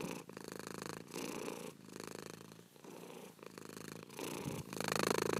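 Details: Pet cat purring, a rasping low drone rising and falling in breath cycles under a second apart, softer in the middle and growing louder toward the end.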